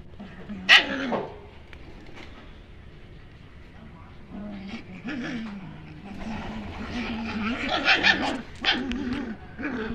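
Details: German Shepherd puppies: a sharp, loud yelp near the start, then repeated whining whimpers and higher yips that rise and fall. A cluster of cries comes near the end, with human voices in the background.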